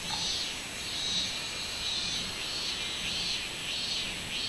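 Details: Robust cicada chorus from 24 July 2016: a shrill metallic buzz rising and falling in evenly spaced pulses, about four surges in a few seconds, over a persistent high-pitched insect hiss.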